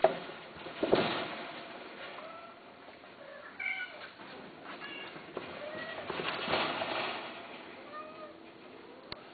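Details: Domestic cat giving several brief, thin meows spaced a second or two apart, over soft background rustling and a few knocks.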